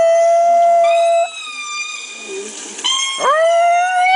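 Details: Female Chihuahua howling indoors in response to lemur calls playing from a laptop: a long steady howl, a short lower break, then a renewed wavering howl that swoops down and rises again, rich in overtones.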